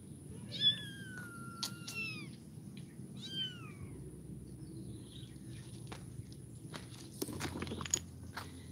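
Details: Kitten meowing in quick succession at the start, bright cries sliding downward in pitch, then quieter stretches with soft knocks and shuffling noises.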